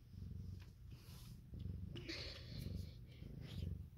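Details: Steady, low throbbing purr from a domestic cat indoors, in a litter setting where Siamese and calico cats have had kittens; rhythmic swells of rumble and a faint hiss of soft speech above.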